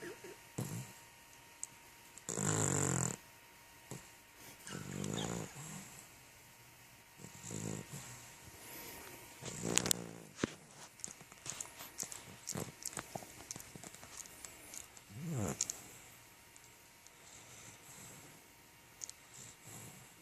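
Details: A sleeping puppy snores indoors in a small room, with noisy breathy bursts about every two and a half seconds, some louder and longer, between quiet stretches and faint rustling.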